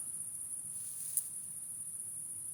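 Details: Crickets heard outdoors at night in cool, fresh air, a steady high-pitched continuous trill holding one thin tone throughout, with a faint low rumble beneath.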